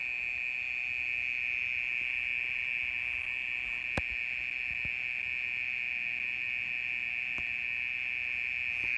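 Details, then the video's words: Mole cricket trilling through the night, an unbroken, even, buzzing churr at one pitch, with a few faint clicks in the background. "オケラの鳴き声 30分以上鳴いてる"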